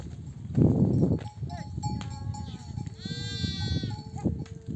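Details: Mother sheep in a nomadic flock bleating to nurse her lambs on returning from desert pasture; one long, wavering, harmonic-rich bleat lasting about a second, over low rumbling flock noise, footsteps and faint voices.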